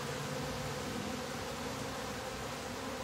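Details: Honey bee colony humming inside a top bar hive after its bottom board is shut, an unbroken, even drone with layered steady tones and a faint fluttering texture.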